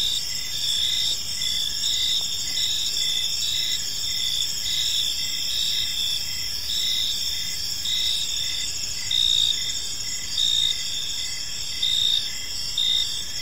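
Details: Evening chorus of crickets in a quiet park, many insects trilling together in continuous high bands, with short regular chirps pulsing through the drone and faint low ambient rumble beneath.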